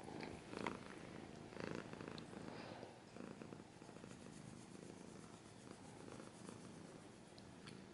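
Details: Close, soft rumbling purr from a cat, louder in short swells near the start and then an even, continuous low vibration with faint scratches.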